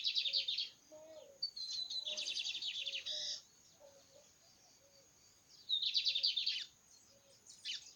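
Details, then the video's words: Cicada called "metralha", singing in nature: harsh, buzzy, rapidly pulsed bursts lasting from under a second to about two seconds, separated by pauses, with faint low whistled notes from other animals underneath. "Cigarrinha. METRALHA .de canto na natureza"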